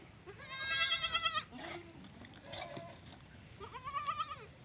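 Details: Kid goats kept in a simple open pen; two strong, harmonic, quavering bleats, one at the start and one near the end, with softer short calls between.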